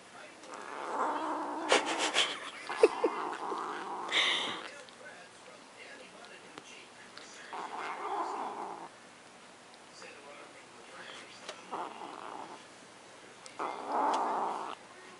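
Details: Luna the house cat defends her macaroni and cheese with repeated rough, droning growls in several drawn-out bouts, broken by sharp clicks and pauses, while people talk softly around her.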